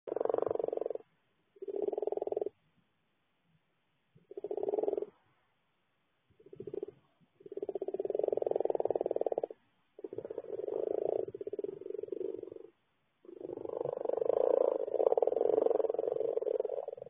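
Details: Noisy frogs giving loud, purring croak trills in bursts of one to three seconds, some running on continuously, separated by short silences.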